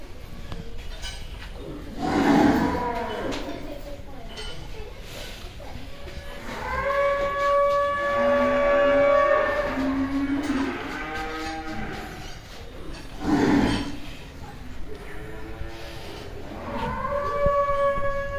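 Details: Cattle at Milk land Agro in Bangladesh lowing: several long, deep moos with rich harmonic bands, swelling and fading one after another over the recording, with music and voices faintly behind.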